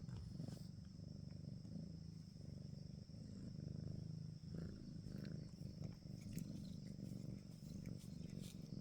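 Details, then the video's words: Cat purring: a steady, low, rhythmic rumble throughout, briefly dipping around the third second, with faint scattered clicks above. "Suara kucing mendengkur"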